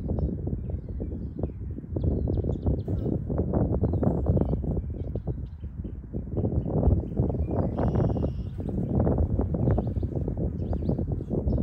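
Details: Apis mellifera colony, grown after surviving winter, sunning at its hive in early spring 2023 in Ohio. Foragers carry silver and red maple pollen. A steady low droning hum with crowded soft ticks and brief distant bird chirps.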